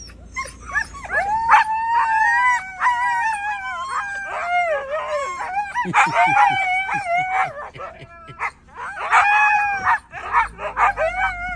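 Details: Siberian Huskies at home howling and vocalising as their owner returns after being away, several dogs overlapping in long wavering harmonic howls and yowls, with bursts of short choppy barks and human speech between them.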